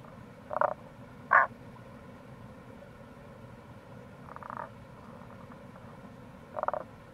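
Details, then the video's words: Rana tagoi, Tago's brown frog, heard in April near a gorge at the Kamo River, Itoshima, Fukuoka: two quick croaks close together, a fainter distant one, then another, above continuous low water noise. "Wild Frog Call | タゴガエル"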